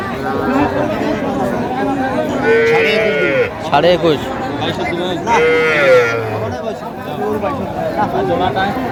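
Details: Small Sahiwal bull and heifer calves at a cattle sale on 30 March 2025, being bought by a Noakhali farmer: two drawn-out, harmonic moos around the third and sixth seconds, with men talking and bargaining throughout.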